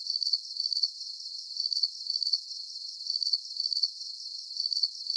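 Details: High-pitched cricket chirps come in short clusters of three or four quick pulses, separated by brief softer gaps, over a faint continuous insect hiss.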